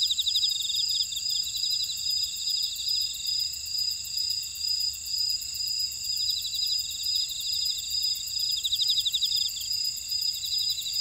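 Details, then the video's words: Grass insects chirping in a buckwheat field at Oradong, Jeju City, on volcanic Jeju Island, South Korea: a dense high-pitched chorus of steady ringing tones with bursts of rapid pulsed trills layered on top. "제주 메밀밭의 풀벌레 소리"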